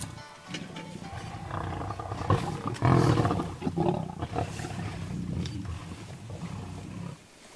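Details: Lions eating a buffalo alive in the wild: a dense, continuous bout of deep, raspy growling and snarling that swells to a peak near the middle, then drops away abruptly at the end.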